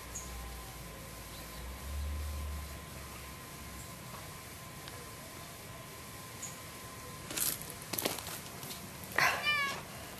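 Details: Lucy, a loud orange cat that refuses to go home and keeps pestering a resident cat and a person, gives a single clear meow near the end after some rustling and handling noises in a quiet room.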